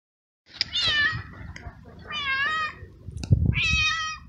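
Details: Two stray kitten brothers, one black and one gray, outdoors on a cold, windy day as winter approaches, waiting to be fed: three clear drawn-out meows, each wavering then falling, with low wind rumble and thumps between them.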